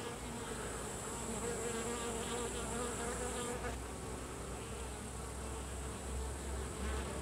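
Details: Carniolan honey bees (Apis mellifera carnica) at the hive as workers expel drones, a dense steady buzzing of many bees with wavering low hums and a faint high hiss throughout.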